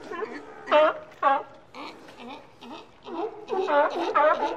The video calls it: Sea Lion Barking - Sound Effect